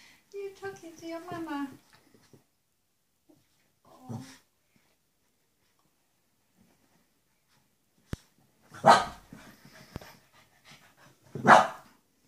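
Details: Shih Tzus indoors: a young male meets his mother after seven months apart, and she does not recognise him. People talk at the start, then after a quiet stretch come two sharp barks about three seconds apart.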